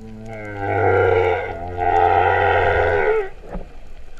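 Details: Underwater humpback whale song at Vava'u, Tonga, in September 2015, its voice compared to a cow's moo: two long, deep, harmonic moans, each over a second, separated by a short break, with a low drone beneath.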